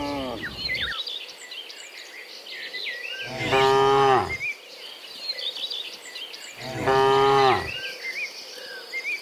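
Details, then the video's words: Cows heading from the field back to the pen in the morning, mooing at intervals: a trailing moo, then two strong, even, harmonic moos about three seconds apart, over a steady backdrop of chirping birds. "Sound of Moo Cows in the Morning, Returning from the Field to the Pen, Sound of Cows"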